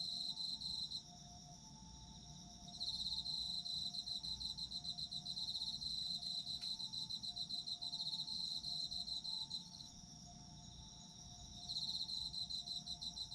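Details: Autumn insect voices recorded for sleep listening: high, rapid pulsed chirping that fades twice into quieter stretches and then returns in full. A soft low tonal hum persists throughout.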